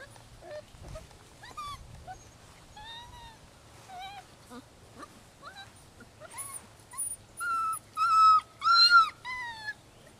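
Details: Six-week-old rescue puppies from Holly's litter of ten, six males and four females, at Lonely Hearts Animal Rescue, give high, thin whines that rise and fall, scattered at first, then louder and more frequent toward the end.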